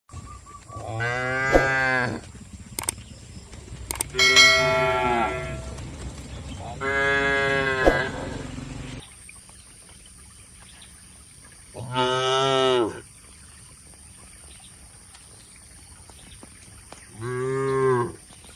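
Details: Cattle grazing on fresh grass amid an oil palm plantation in Indonesia, giving five harmonic moos, each about a second long and strongly ringing, spaced irregularly across the recording with quiet pauses between.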